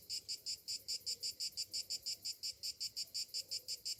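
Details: Summer-morning cicada song, a shrill, high buzz broken into even pulses roughly three per second, repeated without pause over a quiet background.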